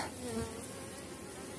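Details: Honey bees from a very strong late-season colony on small-cell 4.9 mm comb, the hive open and full of bees; a short burst of steady massed humming, slightly louder at the start as a bee flies near.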